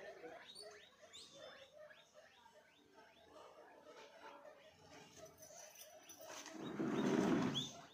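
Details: Guinea pig giving rapid series of short, high, rising squeaks through the first half, fading into softer chatter, then a loud rustling crunch near the end; a person speaking Hindi nearby.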